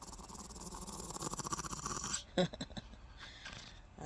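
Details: A female Shih Tzu, born June 2015, growls in a low, rumbling, pulsing stream during a morning massage she seems to refuse, with a woman's voice over it.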